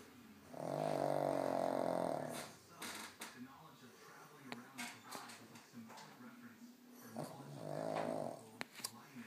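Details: Pug asleep and snoring loudly, giving two long harsh rattling snores several seconds apart with soft snuffling breaths and small clicks between them.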